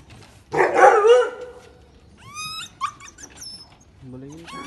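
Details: Siberian Husky puppy at a kennel in Delhi, India, giving thin high whines and yelps that rise then fall, several short calls in a row, after a louder burst of human voice and a later low vocal sound.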